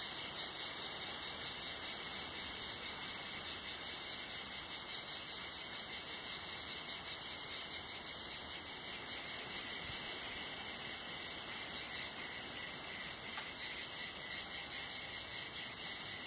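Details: Long stretch of cicada chorus at Tenuta Zimarino in hot summer, listened to beneath a mulberry pergola; steady high-pitched shrill drone with fine fast pulsation, holding constant loudness and broken only by a tiny faint tick.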